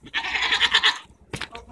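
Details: Goats arguing on June 24, 2014: a single nasal, wavering bleat of under a second with a rapid tremolo, followed by a brief knock or thud.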